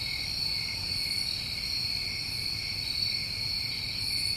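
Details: Summer night chorus of New England crickets, an even, ceaseless high-pitched trill layered in two bands, no pauses, faint soft pulses far above.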